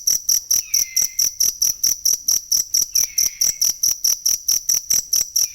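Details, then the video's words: A cricket, used as training sound for songbirds, gives sharp, high-pitched chirps in a fast, even series. Two soft, descending whistles sit behind the pulses. "ASLI SUARA JANGKRIK BUAT MASTERAN BURUNG"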